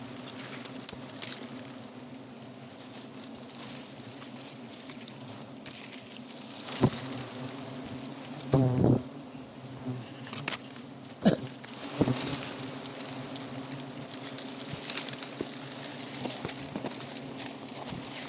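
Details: Wild forest honey bees at a nest found and harvested straight away for honey: a steady low droning hum with layered tones runs throughout, broken by sharp knocks and clicks from handling around seven to thirteen seconds.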